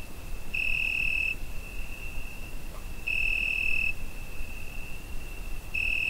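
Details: Summer-night cricket captured on a Zoom H5, giving a continuous thin high-pitched tone that intensifies into louder chirp bursts roughly every two and a half seconds, three bursts in all, against soft low rumble.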